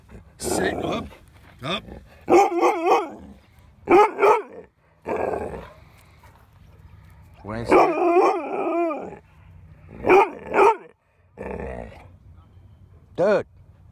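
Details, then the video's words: Winston, a mouthy dog, loud and defiant while being trained to obey at a dog park; bursts of harmonic barks and yelps in uneven clusters, mixed with a man's commands and outdoor background noise. "Mouthy Dog Getting Trained to Obey Me at the Dog Park"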